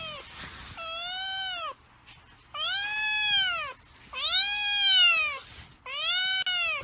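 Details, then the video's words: Angry domestic cats in a real fight, giving four drawn-out wailing yowls. Each lasts about a second, arches up, then sags, with short quiet gaps between. The first yowl starts with a harsh noisy burst. "Angry Cats Fight and Cat Sound Effect"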